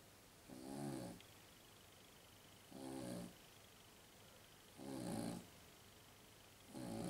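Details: Sleeping pet Jug, a Pug and Jack Russell mix, snoring: four breathy, rumbling snores about every two seconds, with a faint steady whine in the background.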